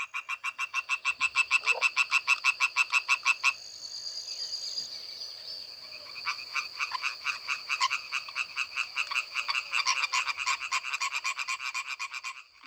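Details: A European tree frog chorus on a spring or summer night around ponds: males give fast, rasping, nasal pulses several times a second to attract females, and the overlapping callers form a dense, continuous rattle.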